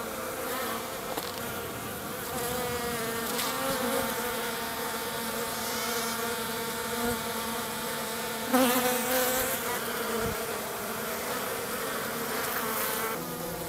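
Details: Honey bees of a Minnesota hygienic strain carrying dead bees out through the entrance reducer on a mild March day; continuous layered buzzing with brief louder passes of single bees flying close.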